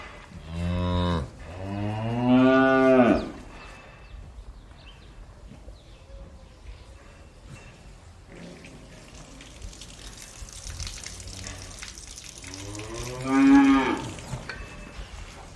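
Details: Cows in a barn low in long, rich, nasal moos: two back to back at the opening, then soft barn rustling and hiss before a final moo near the end.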